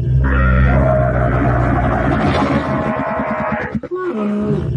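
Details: Camel bellowing: a loud, low, sustained groan that turns into a throaty gurgle of quick pulses, ending with a brief softer moan.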